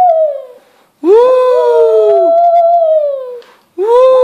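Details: Shih Tzu singing: a fading tail of one howl, then a sustained howl that rises at the start and holds a steady, slightly climbing tone for over two seconds. A new howl begins at the end.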